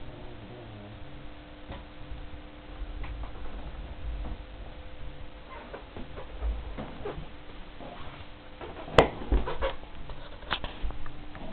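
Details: Enya, a sleeping dog, snoring really loudly: low, rumbling breaths rising and falling roughly every few seconds, with scattered ticks and a sharp click near the end against a steady hum.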